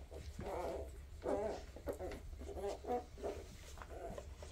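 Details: Quiet Weimaraner puppies, part of a 2023 litter, give short nasal whimpers and squeals in bursts about every half second, with a low electrical-sounding hum underneath.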